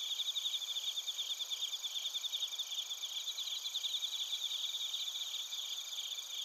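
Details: Nighttime-style insect chorus of bell crickets and crickets in Narita, Chiba Prefecture, Japan, via TASCAM Portacapture X8: bright, bell-like high chirps pulse rapidly over a thick, steady buzz of many overlapping callers.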